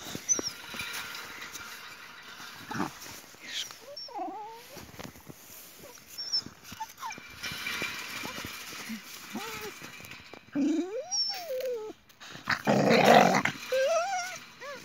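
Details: Jessie, a Boxer, squabbling with her friend Spike over a toy; scattered whines and grumbling yelps with sliding pitch rise and fall among scuffling, with a louder noisy burst near the end.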